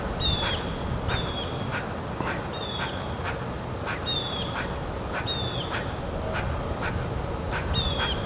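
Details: Squirrel calling, possibly greeting or angry: sharp chip-like notes repeated about every 0.6 seconds, each with a short downward-sliding tail, over steady background noise.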